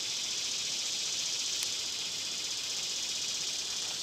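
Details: Loud summer cicada song, a piercing, high, grating drone with a fast rapid pulsing throb running through it, and one sharp click early on.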